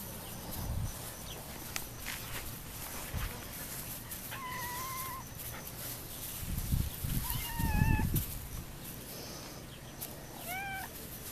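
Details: Adzuki Bean, a male standard poodle puppy, almost all black with a tiny white chest patch. He gives three drawn-out whines, two held level and the last sliding up then down, over thumps, rustling handling noise and low background hum.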